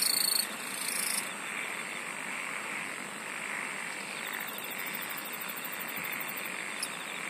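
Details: Singing insects: a sharp high trill opens loudly and cuts off after about a second, then a softer continuous shimmer carries on, with a later run of fast high pulses.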